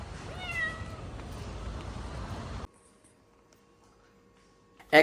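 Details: Injured rescued kitten meowing non-stop while carried to the vet. A single clear, slightly rising meow near the start, then quiet background and a brief loud clatter at the end.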